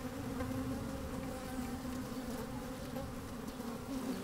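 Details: Honey bees moving about within an opened hive, recorded from inside on a sunny day with a little wind; an even, full buzzing hum with a bright steady tone and faint crackling from bees crawling.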